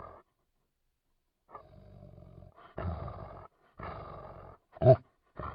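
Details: Labrador Retriever dog giving a series of low, rough, growling vocal bursts separated by short silences, with one sharp louder yelp near the end; no other sounds.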